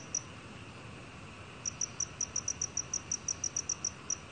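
A black field cricket sings a quick series of high, clean chirping pulses after one lone chirp.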